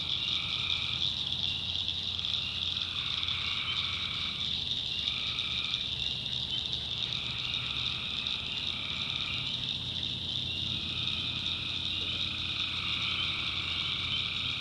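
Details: Tree frogs calling at night in a swamp in the North Carolina backwoods: a dense, unbroken high-pitched trilling chorus, with lower droning call bouts of one to two seconds that overlap and come and go throughout.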